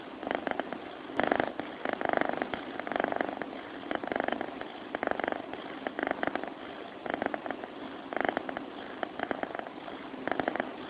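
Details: Domestic cat purring as it sleeps: close, grainy, throbbing hum of quick pulses, repeatedly swelling and easing in a regular in-and-out pattern.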